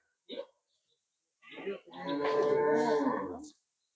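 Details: Friesian cow on a farm on the day it is sold, bred from the farmer's own herd, giving a steady, loud moo lasting about a second and a half after a few brief voices and shuffling sounds.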